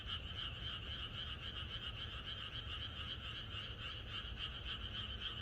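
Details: Chorus of many frogs in rural countryside at night before rain: rapid pulsing croaks merge into an unbroken trilling wall of sound, many callers overlapping at a fast steady pace.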